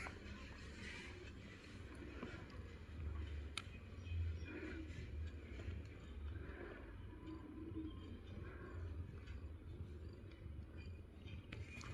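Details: Low engine rumble fills the recording, with faint scattered knocks and no clear animal call.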